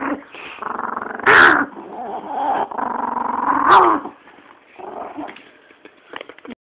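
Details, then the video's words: Female chihuahua growling to guard her bone as a person tries to take it; long rumbling growls with two sharp louder snarls, then fading softer growls and faint rustling. "chihuahua mean"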